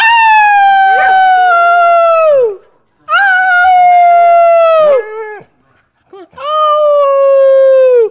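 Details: Rex, a dog learning to howl with his owner, gives three long, clear howls, each steady and then sagging downward at the end, separated by brief breaks with a faint whine between.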